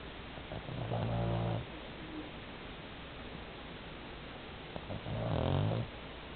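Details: Ricky, an 11 kg Pomeranian dog, snoring in sleep like a middle-aged man: two deep, rattling, harmonic snores about four seconds apart, each lasting roughly a second, separated by quiet breathing against faint indoor hiss.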